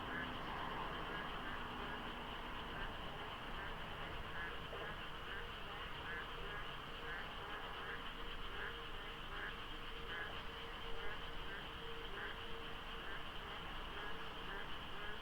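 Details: Monsoon-season frog chorus at dawn beside the Deokso IC highway in South Korea, light fog and few cars; countless overlapping croaks pulse in a steady rapid rhythm over a deep low-frequency road rumble.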